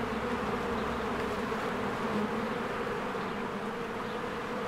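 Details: Many honeybees fly around their hive in spring. A constant, layered buzz with a deep hum that swells slightly around the middle, then settles back to a level drone.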